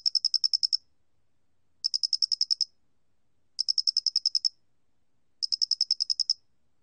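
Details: Square-headed cricket, a 2020 recording from a national biological resources collection, calling in clean, high-pitched trills of about eight quick pulses, each burst separated by roughly a one-second pause, with no other sounds.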